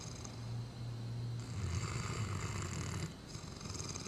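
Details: Sleeping Great Dane Tyson, recorded November 2009, gives a long, steady, droning snore with a low buzzing tone that roughens halfway through and then eases off into a softer breath.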